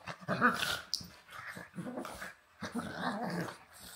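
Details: Pug and husky playing indoors, trading rough, throaty growls in three bursts of about a second each, with brief gaps between, some higher whiny edges mixed in.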